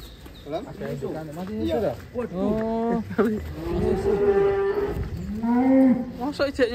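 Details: Lowing of cattle from the stable of giant bull Ken Arok Bimasakti, prepared for a DKI contest, its mother shown too; several long, deep moos in succession, some bending upward then falling, with a little chatter behind.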